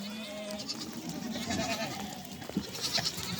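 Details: Village goats and kids reuniting so the kids can suckle; a few drawn-out, wavering bleats early on, then softer scattered calls and rustling in the background.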